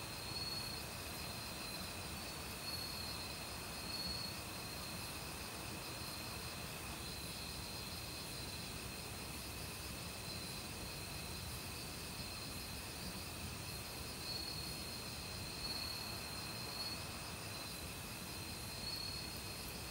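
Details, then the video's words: Autumn crickets calling in a forest with various other insects: steady high-pitched trills and ringing tones layered over the constant rush of a mountain stream. "가을 귀뚜라미 소리"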